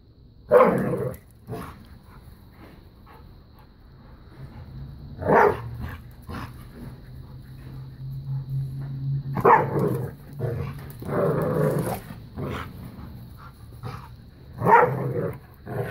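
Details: New puppy and Bella, a five-year-old black lab pitbull, playing keep away and tug of war indoors; sharp barks burst out every few seconds between long low growls and rumbling, with scuffling throughout.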